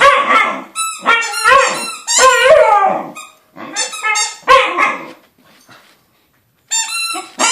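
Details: A corgi 'sings' for more dog beer: a string of tuneful, wavering yowls that slide up and down in pitch, some short and some drawn out, with brief pauses; after a quiet gap the howl-like singing starts again.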